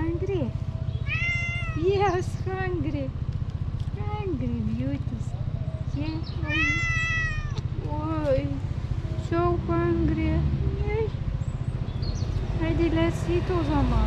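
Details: Hungry tuxedo cat with a black nose calling loudly for food. Repeated meows vary from long, harmonically rich wails to short chirps, about a dozen in all. A person talks over them, and a steady low rumble continues throughout.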